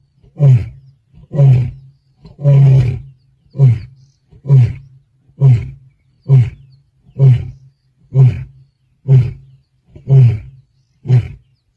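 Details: A male lion at Black Dam, Kruger, on 8 December 2025 roars to call his brothers: a steady series of deep, booming grunting roars, about one each second.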